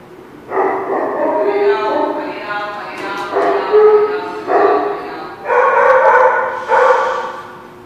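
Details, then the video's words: Dog at The Barking Lot, recorded 6/9/17, giving a run of about six drawn-out, harmonic barks and yelps in quick succession, some overlapping, with faint voices possibly mixed in. "The Barking Lot"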